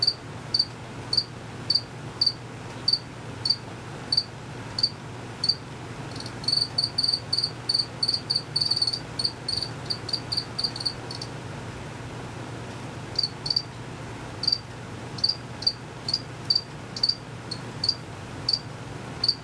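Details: A cricket, unseen, chirps in short, bright pulses about twice a second; male crickets make the chirp by moving their wings quickly, and females don't chirp.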